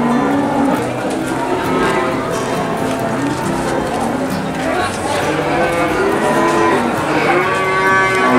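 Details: Cattle in the busy Boyolali cattle market, Indonesia, giving scattered low moos and short bellows amid a dense wash of crowd noise and distant voices.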